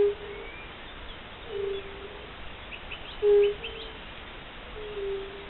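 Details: Spring chorus of fire-bellied toads, mournful low 'ooh' notes spaced about every second and a half, with louder and fainter callers alternating, and faint bird chirps above.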